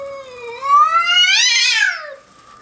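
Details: A domestic cat confronts a curious young bobcat on a deck in Whistler; a loud, wavering yowl climbs gradually, peaks in a strained, harsh wail, then falls away into a lower moan.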